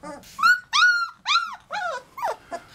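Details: Three-week-old Labrador Retriever puppies calling indoors: a string of high, arching whines and yelps, each rising then falling, some overlapping, in short bursts with brief pauses between them.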